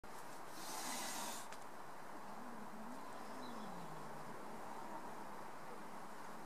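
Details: Amber, a domestic cat, snarls just after seeing off another cat: a short breathy hiss burst early on, then a low wavering growl drifting up and down, against an otherwise quiet background.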